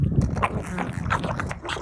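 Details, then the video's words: Pug chewing broccoli with odd noises: low, rough grunting and wet snuffling snorts run almost continuously through a short stretch, pulsing unevenly with mouth and crunching sounds. "Pug makes weird noises while eating broccoli"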